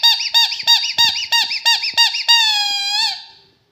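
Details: Rottweiler repeating short, rising-then-falling squeaky whimpers roughly three per second, ending in one drawn-out high whine that fades away; indoor setting with faint knocks.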